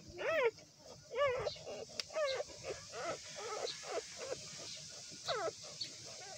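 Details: Newborn puppies whimpering and crying: a string of high, wavering whines that rise and fall, several overlapping at once, with short squeaky yelps between them against a faint background hum.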